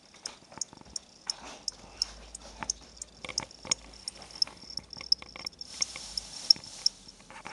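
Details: Pet crickets, a pair from a pet shop sold as reptile food, kept indoors by a child. High clicking chirps recur irregularly through the clip amid handling clatter and soft room noise.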